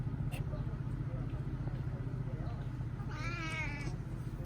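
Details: Stray kitten, a pedigree cat with painful eyes, not eating despite hunger near a market; a single wavering, bending meow sounds late, after a quiet stretch with a constant low background drone.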